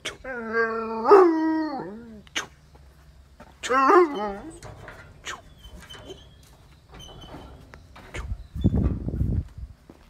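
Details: At a meal of raw chicken for a Great Dane and a Mudhol Hound, two drawn-out whines slide from high to low a few seconds apart. Brief human voices, rustling and a low thump are heard between them.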